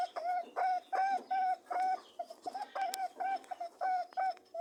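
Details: Rabbits mating, giving clear, evenly pitched humming honks in a quick rhythm of roughly two to three per second, some notes longer and some clipped short.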